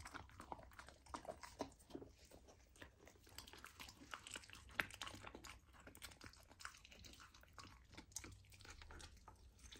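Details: Golden retriever puppy on a raw diet eating raw lamb for the first time, heard as soft, irregular wet chewing clicks and crunches, quiet and close, indoors.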